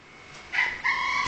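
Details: Ten-month-old male kitten meowing at feeding time indoors: two short, high, tonal meows in quick succession, the second longer and steady, over a faint background hiss.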